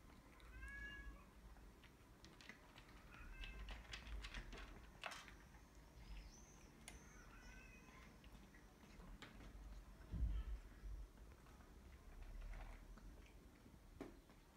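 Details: Exotic Shorthair cats eating, giving several short rising-falling meows early on and again near six seconds, amid low rumbling background, clicks and eating noises.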